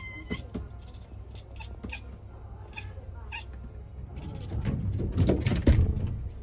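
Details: A kitten at a fifth-floor cat cafe watches a crow outside the window. Excited by the prey, it chatters ('cracking') in short, clipped 'kek' bursts about two a second, then rustles and thumps louder as the crow flies off.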